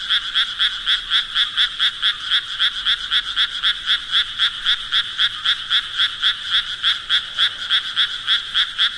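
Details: Croaking frogs keep up a regular, quick pulsed rhythm of about four beats per second, high and rattly, sustained throughout.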